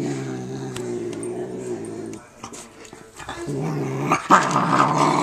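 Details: Male domestic cat growling over his food while eating indoors: a low, steady, harmonic rumble for about two seconds, a pause with clatter, then the growl resumes, rising into louder rough bursts near the end.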